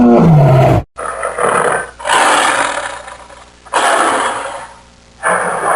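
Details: Tiger roar: a short tonal, harmonic growl opening, then several harsh, broadband roaring bursts separated by abrupt cuts and brief gaps.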